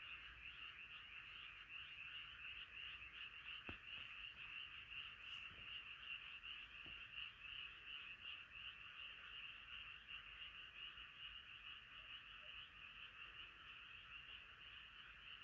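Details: Massed frogs singing together at night: a continuous, shimmering chorus of fast croaks, broken only by a few faint clicks.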